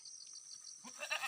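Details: Farm goat raised by its owners, uttering a brief nasal bleat that starts low and breaks into a harsh, trembling cry, with a constant high-pitched cricket hum behind it.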